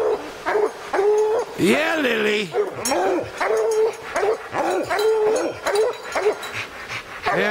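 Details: Young hound Lillie baying at treed quarry on an evening hunt among tall pines, with young dog Dynomite and 14-year-old Sadie along; loud repeated bawling bays, some drawn into rising-and-falling howls, with a man calling out encouragement.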